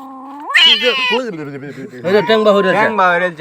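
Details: Cat being treated for a fishbone lodged in its mouth, bone removed without surgery: loud wavering yowls rising sharply then wobbling, broken into several strained cries, with people talking and music nearby.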